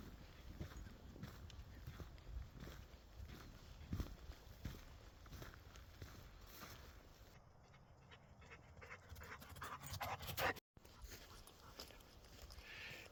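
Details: Benji, a Labrador Retriever, panting on a chilly morning woodland walk; steady rhythmic breaths with quiet rustling footsteps and outdoor ambience, then a brief burst of brighter noise near the end.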